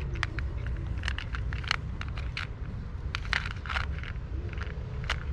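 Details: Clicks, crackles and rustling over a low rumble of traffic noise indoors, with no animal voice heard.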